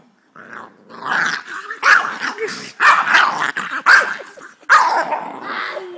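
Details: A female boxer puppy throws a fit, going wild for about five minutes, with rough growls, snarls and yipping barks in quick bursts; boxer.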